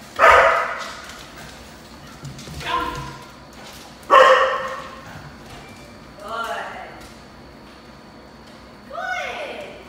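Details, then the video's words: Golden Retriever puppy during e-collar conditioning, giving high, squeaky yelps and whines spaced a couple of seconds apart, some sliding upward; a person's voice mixed in. "Golden Retriever puppy ecollar conditioning"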